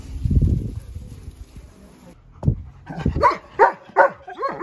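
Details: Keyush the Siberian Husky on a visit to a friend's house: low rumbling noise first, then a run of harmonic, whiny yelping calls repeated roughly every half second.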